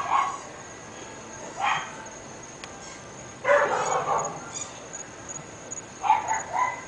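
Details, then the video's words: Pet dogs, three of them, barking in North Bay Village: four separate bark bursts, the third longer and rougher, heard from some distance over a steady high electronic tone. "Annoying Dogs"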